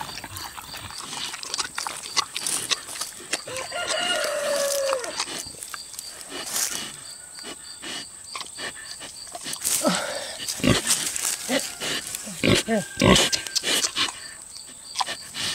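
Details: A six-year-old boar pig chewing juicy tomatoes: wet smacking and crunching clicks in rapid irregular bursts, with a few low grunts and a short squeaky note, over a steady faint high hum.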